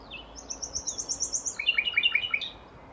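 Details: Asian small-clawed otters (Amblonyx cinereus), wild, give rapid, high, bird-like chirps in quick repeated series.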